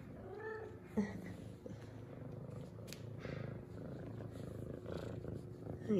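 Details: F2 Savannah cat, a female, greeting her owner with purrs and headbutts indoors; a soft, steady low purr rumbles beneath a woman's quiet calls of come here, with brief rustling and a faint high electronic hum.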